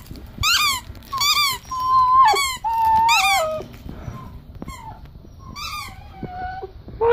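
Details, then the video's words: Pomsky puppy, a Pomeranian husky mix, playing happily with a toy while crying indoors: high, wavering whines gliding downward, some held for about a second, among sharp repeated squeaks, with a person asking a question just before. "Pomsky So Happy but Crying at the Same Time"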